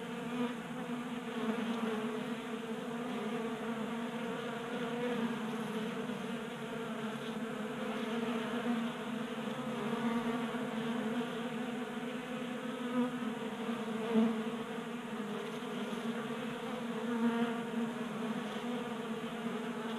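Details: A group of honey bees feeds from a 3D printed tray feeder on a garage workbench in Colorado in January, active in late warmth. Their continuous droning buzz swells and fades slightly over twenty seconds, with occasional louder passes.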